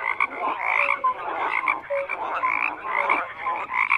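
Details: Many frogs croak together, rough buzzy pulses layered with short whistled notes recurring roughly every half second, a busy continuous chorus.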